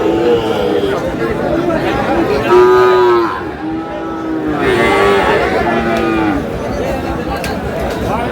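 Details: Sahiwal cattle, bull calves at a market sale involving a Sylhet farmer, Bangladesh, 11 July: two clear, rounded lowing moos a couple of seconds apart, each with a falling tail, over busy crowd talk.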